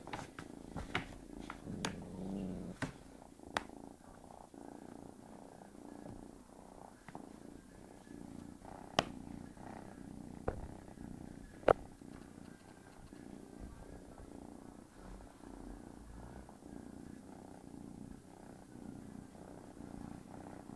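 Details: Low, soft purring from a domestic cat named Tigger, sleeping while a kitten pesters it, broken by sharp scattered clicks and taps of movement.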